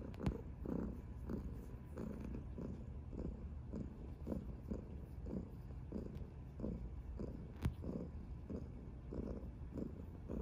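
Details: Mya, a chubby orange tabby enjoying cuddles, purrs in a rhythmic low rumble, each breath cycle pulsing about every half second, with a couple of sharp tapping sounds from handling.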